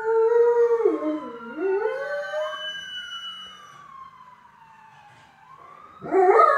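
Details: Pet dog Dio harmonizes with a passing ambulance siren. A loud wavering howl dips and climbs during the first three seconds, then a fresh howl starts near the end. The siren glides slowly downward between them.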